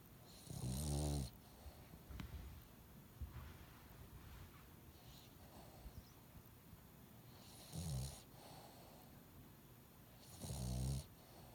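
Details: Pet dog with a nose blocked after an illness, snoring while asleep: three rough, low, rattling snores at about 1, 8 and 11 seconds, each under a second long, with quiet breathing between them.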